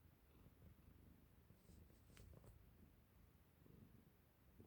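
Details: Indoor Ragamuffin cat at play, tussling with a hair tie: a deep, continuous purr with a gently throbbing rhythm, overlaid by a brief cluster of crisp ticking clicks midway.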